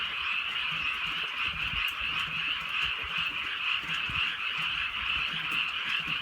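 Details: Rainy rural night with a chorus of frogs: many voices merge into a bright, even trilling hum, with faint low rustles and intermittent rain ticks.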